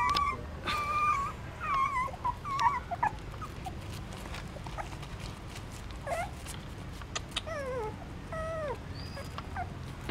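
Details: In a stupa of a pagoda in Siem Reap, Cambodia, hungry newborn puppies nurse from their mother; thin whines waver at the start, then scattered sucking clicks follow, with occasional short squeaks sliding downward.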